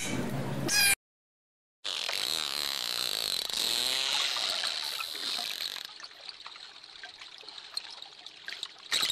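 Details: Dolphin sounds: a brief noisy burst, a moment of silence, then layered wavering whistles with rapid clicking, fading into crackling, watery pulses.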